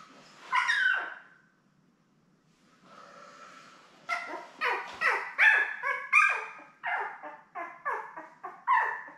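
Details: Newborn Labrador Retriever puppies, part of a litter of seven born May 24, 2021, with their mother Belle, on a live puppy cam on June 3. A short cry, a pause, then a rapid run of high, falling, whining yelps.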